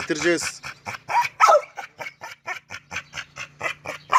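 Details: Red-nose pit bull Oscar during a mating meeting with chocolate red-nose Müdür. A fast run of short, evenly spaced bursts, about four a second, follows a harmonic whine at the start. A man talks nearby.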